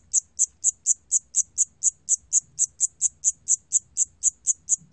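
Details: Siamese cricket recorded by the National Institute of Biological Resources, 2020: a steady train of short, very high, shrill chirps, about four per second, with a quiet low rumble underneath.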